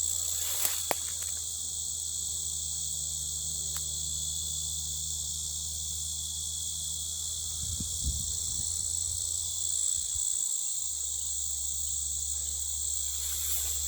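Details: Insanely loud insect buzzing, a relentless high shrill wall of sound over a steady low hum, with a few sharp clicks early on and a brief low rumble midway.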